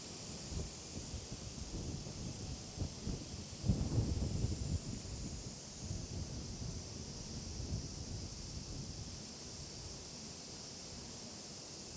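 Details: Outdoors with steady wind buffeting the microphone, rustling leaves and a low rumble, with no clear animal voice.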